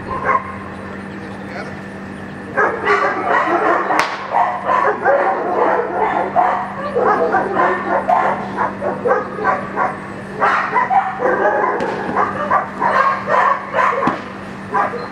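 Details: Young German Shepherd in Schutzhund 1 protection practice, working the blinds and barking rapidly in dense, irregular volleys of sharp, rough barks. Brief pauses break the volleys, and a person talks at times.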